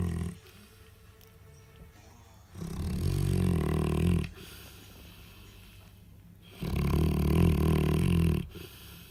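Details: Snoring Alabai bitch, sleeping while nursing puppies six days old after a filling meal; two long throaty low snores roughly four seconds apart, with faint breathing between them in a quiet room.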